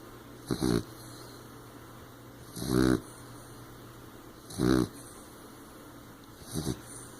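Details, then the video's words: Moon, a 15-week-old female blue nose pit bull puppy, asleep with eyes open: rough snoring and snorting bursts about every two seconds, four in all, each a short raspy rumble over a steady faint background tone. "Snoring, snorting, open eyed sleepy moon!"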